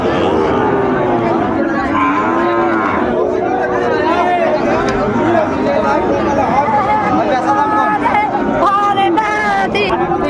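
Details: Cattle lowing at the Ambari market in Netrokona, Bangladesh, 8 November 2024, where Sahiwal bulls are sold to farmers; overlapping moos, some high and wavering, over loud crowd chatter.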